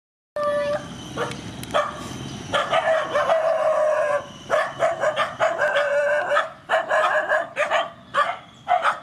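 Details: Rescued mother dogs and puppies at feeding time, giving a steady stream of high, whining squeals and short yelps that overlap and break off repeatedly, with a faint voice in the background.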